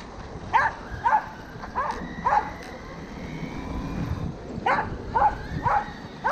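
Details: Corgi named Roku pursuing a Kuroneko Yamato RC car, recorded 13 February 2021: short sharp barks roughly every half second in two bursts, separated by a whirring toy-car motor hum.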